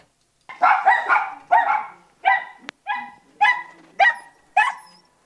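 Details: A Border Terrier, possibly barking at a squirrel, gives a quick run of sharp, ringing barks, about two each second.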